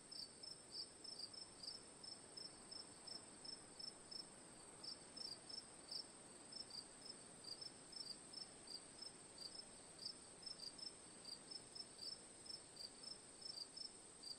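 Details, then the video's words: Crickets giving quick bright chirps in loose bursts, roughly three each second, backed by an unbroken shrill drone of other insects and low ambient noise. "Cricket Sounds for Sleep/Relaxation, Ambience, & Sound Effects"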